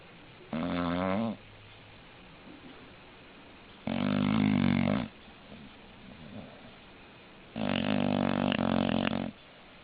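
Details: Snoring English bulldog in a small room: three loud buzzy snores roughly three to four seconds apart, each under two seconds, with faint breathing between them.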